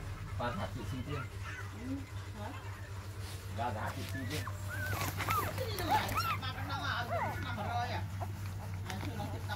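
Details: Six newborn puppies on their fourth day give a busy tangle of thin, arching whines and squeaks, several overlapping at once and rising and falling quickly, over a steady low hum that runs throughout.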